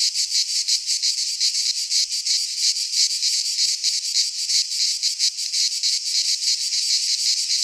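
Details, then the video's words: Cicadas in midsummer in a pine forest in Greece give a loud rasping whine, throbbing nearly three times per second in clear pulses, sustained without pause or other sounds. "Cicadas singing in midsummer - Nature sounds from the Greek fauna - Sounds of cicadas"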